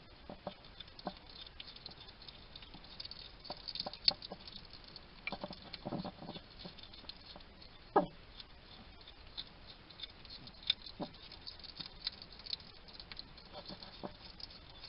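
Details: Wild hedgehog at a garden feeding station in Somerset, UK, chattering to itself while it eats: soft crunchy chewing clicks and smacking bursts, some louder snaps, over quiet background hiss.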